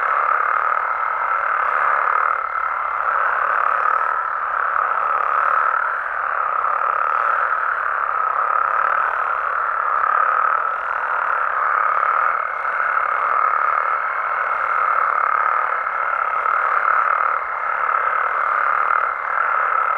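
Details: Mexican frogs and toads calling at night in natural habitat: a dense, unbroken chorus of overlapping mid-pitched trills forms a steady droning wall of sound, with a thin, higher whining tone running for a few seconds near the start and again later.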